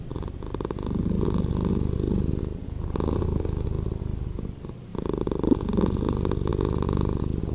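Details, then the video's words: Domestic cat purring, edited to play slower: a continuous low rumbling vibration in alternating louder and softer phases, each lasting a couple of seconds, with no other sounds. "Cat Purring"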